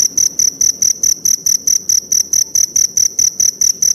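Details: Forest cricket calling in a steady series of short, shrill, high-pitched chirps, about four per second, each a bright pure tone with a faint higher overtone, evenly spaced and unbroken over the whole stretch, with no other sounds evident.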